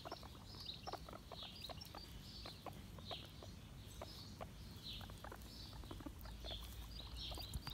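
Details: Guinea pigs come when called, squeaking again and again in shrill, whistled bursts, several each second, some rising and falling, over a steady low rumble with scattered clicks and taps.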